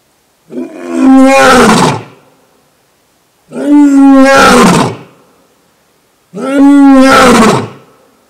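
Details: Newly arrived male lion named as the new king at Thoiry Zoo in France roaring three times, each deep, harmonic-rich roar about one and a half seconds long, spaced roughly every three seconds, with silence between.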